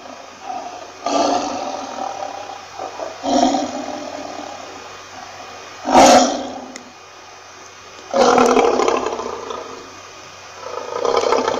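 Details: Lion roaring in separate rough, breathy bursts of one to two seconds, spaced by short quiet gaps, with a harsher, louder burst near the middle and longer rumbling roars toward the end.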